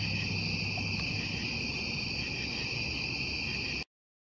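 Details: Steady high-pitched cricket trilling at night, a seamless ringing chorus in two bright bands above a low hum, cutting off abruptly near four seconds into silence.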